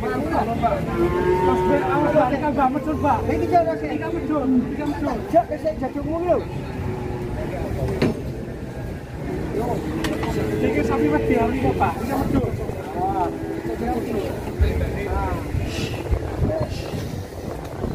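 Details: Agitated cattle being loaded onto a truck in Indonesia give a string of overlapping, wavering bellows that bend up and down, with a truck rumble, knocks and human chatter.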